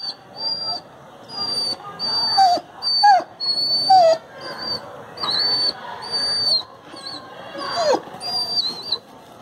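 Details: Golu, an adopted street dog with a broken bone, cries in pain from the injury: short wavering whines rising and falling in bursts, over a steady high-pitched tone that repeats through the clip.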